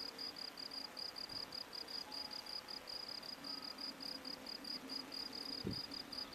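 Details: Field cricket (Gryllus campestris) singing at a sports field in Brasschaat, Belgium, a habitat since destroyed: steady high, shrill chirps about four per second, running without a break, with a soft low hum behind.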